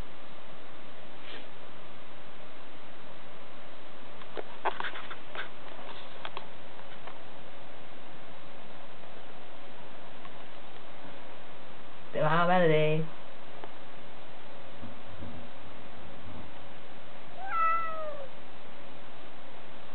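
A Birman cat gives two drawn-out, falling meows, asking to be let out.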